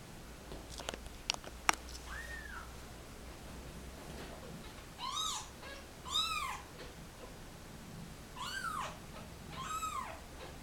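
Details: Kittens of a mother cat and litter dumped in a box at a turnpike, crying indoors while being photographed; a series of high arched mews, some paired, spaced a second or two apart, with a few clicks and handling knocks early on.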